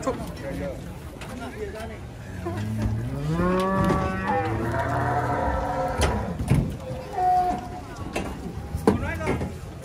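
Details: Cattle being unloaded from a truck give long, low moos that rise and fall, with strong harmonics for several seconds mid-clip, then shorter lowing calls; people talk nearby and occasional knocks and clatter sound in the background.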